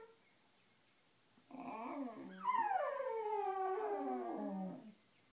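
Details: Basenjis under the covers singing: quieter overlapping wavering howls from more than one dog, sliding downward and warbling for about three and a half seconds in a small indoor room.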